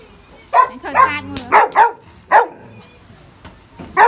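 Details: Dogs of the Belgian Malinois, German Shepherd and Border Collie breeds playing together outdoors; sharp, harmonic barks in short bursts, about six across four seconds, with some human speech between them.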